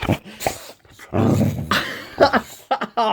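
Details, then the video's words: Indoor morning wake-up by a pet Boxer: low growly grumbles run into rising whiny yelps in short bursts, while a person speaks between the vocal outbursts. "Boxer Dog OR Alarm Clock?"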